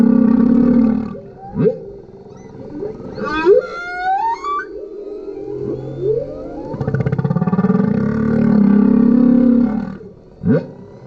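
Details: Humpback whale, a male, singing beneath a kayak on a GoPro recording: low buzzy moans alternate with quick rising whoops and a cluster of high climbing squeals, a long swelling groan near the end.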